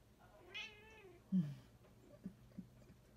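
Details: Young female Bombay cat sitting indoors by a window, chirping at birds outside: one soft, drawn-out harmonic chirp that rises then eases down, followed by a low thud and a couple of faint clicks, against a quiet hum.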